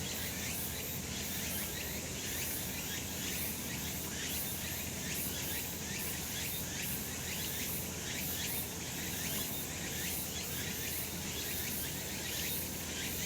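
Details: Many cicadas singing on a sunny summer mountain, producing a loud, steady high-pitched drone laced with regular pulsing beats and an even low background hum.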